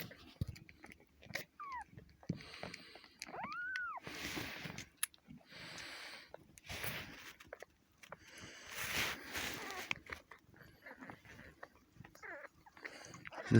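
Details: Cat giving birth at home: Kitty, a four-year-old female, delivering a kitten with human help, exhausted. Two thin, arching mews rise and fall near the start, amid soft rustling, clicks and handling noises, with a breathy stretch in the middle.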